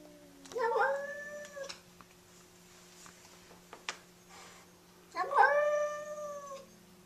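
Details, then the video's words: Fighting cat: two drawn-out harmonic yowls, each about a second long, the first near the start and the second after a quiet gap, over a steady low hum. "the best funny cat fight videos"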